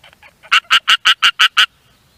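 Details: A green Japanese tree frog calling on the shore of a rice field gives a quick run of loud, raspy, quacking notes in a steady rhythm.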